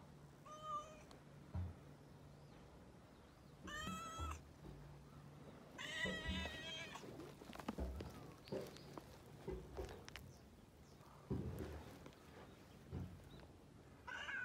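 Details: Cat being petted, giving several short harmonic meows spaced a few seconds apart, some rising then falling, with rustling and a steady low hum underneath.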